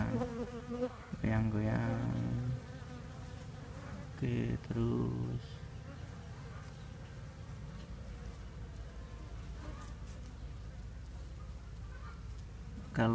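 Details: Swarm of Asian honey bees (Apis cerana) recently separated from the mother colony during relocation into boxes; a steady low droning buzz throughout, interrupted by two short bursts of a man's voice and handling noise.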